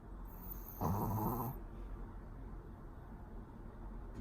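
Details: Asleep indoors, the Pomeranian Pori produces one brief, coarse, rumbling snore near the start, then only soft background hiss remains.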